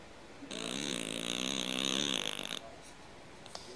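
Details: A cat snoring like a man: one long, rasping breath of about two seconds, a buzzy pulsed rattle with a broad hiss on top, then quiet room noise.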